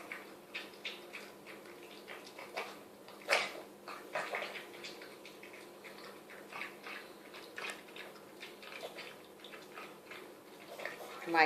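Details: A Chihuahua named Mia eagerly laps homemade chicken soup, producing a steady run of moist slurps and smacks with occasional sharper gulps, ending in a loud splashy lick.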